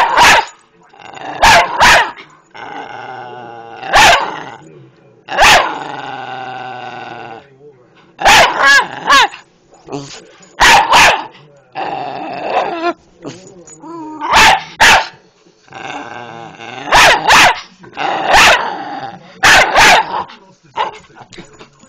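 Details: Patterdale Terrier in a long bout of barking: sharp barks repeated every second or two, mixed with strained, harmonic whining and growling sounds between them.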